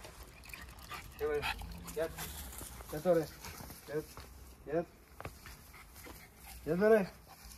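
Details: Two Jack Russell Terriers, close friends, wrestling playfully for fun. Short, mid-pitched arched yelps or barks, about six scattered across the span with quiet scuffling gaps between them. The loudest comes near the end.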